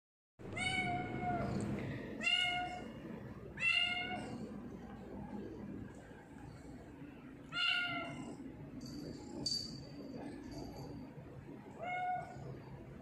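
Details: Sia, a pet tortoiseshell cat filmed indoors in Japan on 21 October 2019 during her daily routine, including drinking water, gives a series of clear harmonic meows, several short calls spaced a second or two apart, over a low background hum.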